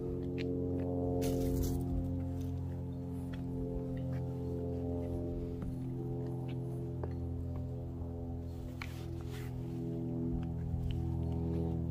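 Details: Sustained low tonal music with steady harmonic drones, a few soft clicks and footsteps, and no animal voice.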